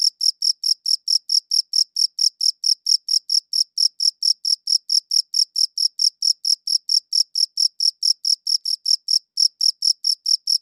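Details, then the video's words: Chirping cricket in a quiet recording: rapid, shrill pulses keep a regular beat slightly faster than two per second for the whole stretch, each with a softer higher overtone. "Cricket Chirping Sounds"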